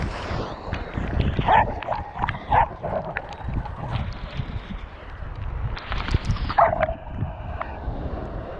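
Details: Australian Cattle Dog crossed with Rhodesian Ridgeback gives brief high whimpering whines near 1.5, 2.6 and 6.6 seconds over steady rustling and handling noise.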